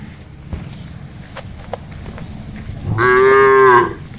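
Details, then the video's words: Cattle foraging and interacting in a wide plantation while being herded; soft clicks and rustling, then one short, loud, level moo near the end. "Vidio mengembala sapi lembu di kebun yang luas, suara sapi"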